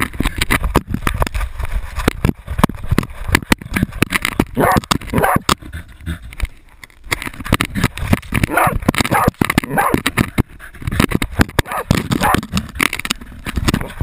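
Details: Jagdterrier Otto baying a 250 lb boar, recorded on a GoPro camera: bursts of harsh, repeated barks and yips rise through constant crashing, thumping and rustling close to the microphone.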